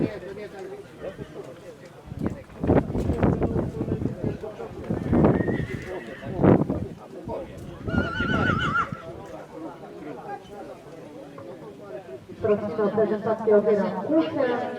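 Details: Polish cold-blood (PKZ) stallion born in 2019 gives high, wavering whinnies in short bursts, mixed with people talking, thudding hooves and clatter.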